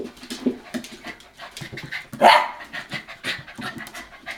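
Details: Sixty-five-day-old Hokkaido dog pups born to Hana, filmed 18 February 2011, pant in short rapid huffs, broken midway by one brief louder whining squeak before the soft breathing resumes.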